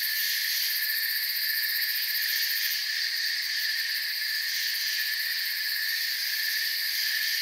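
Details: Steady shrill trilling of many crickets in a forest, layered high tones running without a break, the top band throbbing rapidly, nothing else audible.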